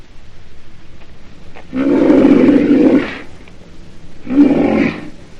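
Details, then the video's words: Two gruff, roaring calls from a rhinoceros, a long grating bellow followed by a short, sharper one, with near silence around them. "Sonido de un Rinoceronte"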